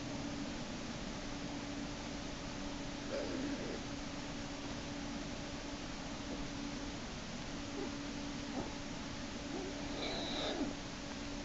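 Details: Screaming from Jason, a black bear cub in Lily's Den on March 1, 2011, as sibling Hope pulls him back in by a hind leg during an escape attempt. A brief bright wail with stacked overtones comes late, over constant electrical hum.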